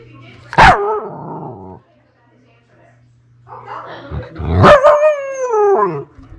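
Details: Female Pomsky puppy, who howls all day long about everything, gives a short yelping howl, then after a pause a longer wavering howl that slides downward, a woman's voice partly overlapping, low hum in the background.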